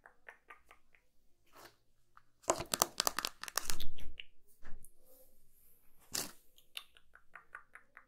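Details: Kitten eating indoors: scattered soft clicks give way to a burst of loud, crunchy chewing, dense and rapid for a couple of seconds, then quieter intermittent smacking bites.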